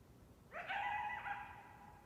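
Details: Distant coyote giving a single drawn-out tonal note that rises sharply at the start, holds steady with a slight dip midway, and fades out, heard over a soft low rumble.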